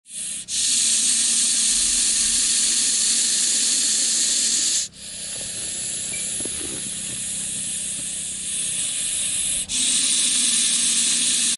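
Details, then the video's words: Russell's viper hissing: harsh, loud, airy hiss sustained in long blasts of about four to five seconds, each broken by a brief pause before the next exhalation. "Russell’s viper hissing sound"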